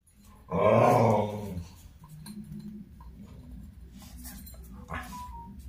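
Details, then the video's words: Pet dog GB at play indoors, recorded on a phone: one rough, throaty growling burst lasting about a second, then quiet room noise with a low background hum and a faint tone near the end. "Funny Dog Play Time"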